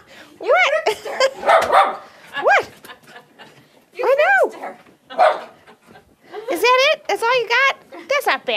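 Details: A 1.5-year-old female Jack Russell Terrier barks while jumping and nipping at people leaving the house. Several bursts of high, arching yips and barks come over eight seconds, mixed with people talking to her.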